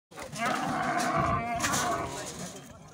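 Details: A camel crying as it lies down from a jeep: one continuous harsh, moaning groan with wavering tonal bands, lasting about two and a half seconds before fading, rough and broad-textured throughout.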